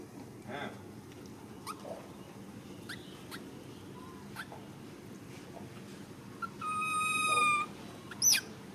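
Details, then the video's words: Baby monkey Ramy letting out one loud, drawn-out tonal scream near the end, steady and high with bright overtones, after quieter clicks and rustling. "Why did baby monkey Ramy stand up and scream so loud like this?"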